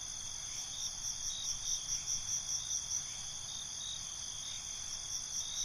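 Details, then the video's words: Night ambience of crickets recorded binaurally, a continuous high shrill band with soft pulsing swells roughly every half second and faint low background noise underneath. "Night ambience, Cricket Conversations"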